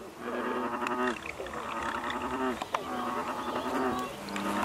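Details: Several American bullfrogs calling together in the Basha Kill Wetlands, June 6, 2011: low, resonant, harmonic croaks that overlap and repeat roughly once or twice a second, forming a steady droning chorus.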